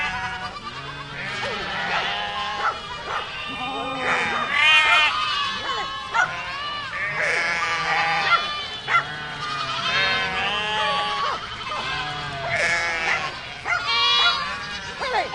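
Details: Herd of goats bleating together, many overlapping wavering bleats, some high and quavering, others lower, calling almost continuously with brief gaps.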